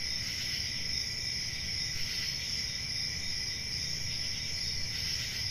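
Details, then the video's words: Crickets on a summer night in a forest: a steady, dense high-pitched trilling chorus in two shimmering bands, unbroken throughout, over a faint low rumble. "Summer Night Cricket Sounds"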